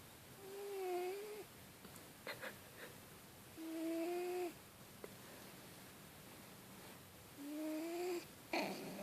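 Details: Sleeping cat snoring: three nasal, whistled, upward-sliding tones spaced about three and a half seconds apart, with light clicks and rustles between breaths and a sharper tap near the end.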